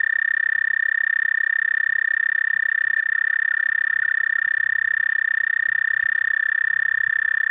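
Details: Night song of a toad, recorded 30 May 2014 around 11:13 p.m. CDT, a continuous, even, high-pitched trill that runs unbroken throughout with no other clear sounds.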